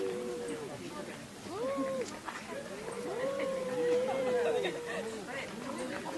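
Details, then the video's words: Quarrelling house cats give low, wavering, drawn-out yowls, one long steady wail near the middle, amid overlapping shorter curved calls and soft background chatter. "我家貓咪 愛吵架"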